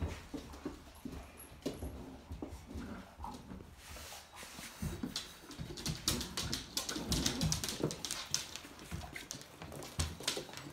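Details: Labrador Retriever puppies from the Kloster Marienthal kennel, indoors in a small room, giving short whimpers and yips amid rapid irregular scuffling and panting, with bursts of higher squeaks and thumps throughout.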